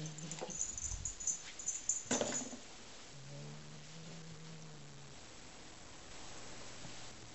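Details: Domestic cat growling while playing with a new toy it found in a bag, as if guarding its own prey; a quiet, low, steady rumbling growl of about two seconds follows a burst of rustling and scratching sounds.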